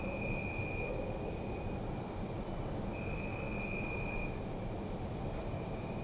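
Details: Crickets chirp in a night-time city park: quick shrill pulse trains broken by short pauses, a long lower trill running for a second or more, and a constant low urban drone.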